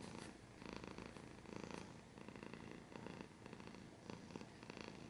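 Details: Domestic cat purring steadily up close, a low rumbling throb that swells and fades with each breath, cycles roughly every second, soft rustling between breaths.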